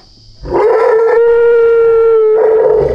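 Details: Scared baby Asian elephant stuck in a ditch without its mother while men rescue it. It gives a loud, sustained, steady-pitched squealing cry of about two seconds with rich harmonics, then a brief rougher tail.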